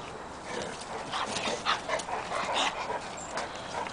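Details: Pug-Pekingese-Shih Tzu mix Oliver, a little rescue puppy, meeting the pack of other dogs; brief high whimpers and yips scattered among scuffling and rustling, with a person calmly telling the dogs to go easy.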